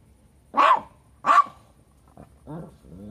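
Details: Lhasa Apso barking at a hedgehog: two sharp, loud barks about 0.7 seconds apart, followed by softer, lower whining yelps.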